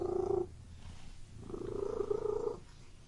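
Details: Close indoor domestic cat purr: a short rumble ends, then after a quiet breath a longer, slightly rising purr of about a second.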